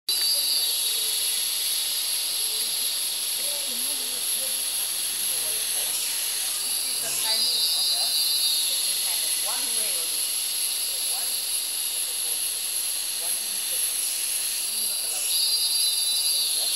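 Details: Cicadas in the rainforest of Gunung Gading National Park, Lundu, Sarawak, Borneo: a dense, unbroken shrill drone with steady very high-pitched bands and a lower hissing layer, swelling slightly near seven and fifteen seconds, with faint scattered chirps beneath.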